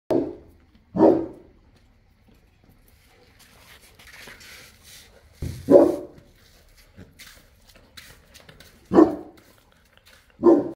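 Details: Boerboel, a South African Mastiff kept as a pet in Egypt, giving deep single barks spaced a second to several seconds apart, five in about eleven seconds, with quiet gaps between.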